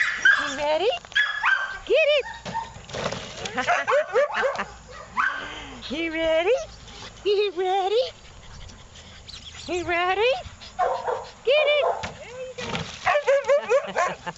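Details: Australian Cattle Dog in a shelter awaiting adoption, recorded 28 August 2013, gives repeated sweeping, rising-then-falling yelps and whines in quick bursts. A person speaks excitedly between them.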